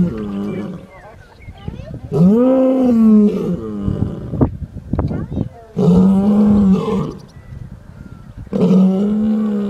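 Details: A sleeping lion gives deep, moaning roars, each rising and then falling, several seconds apart.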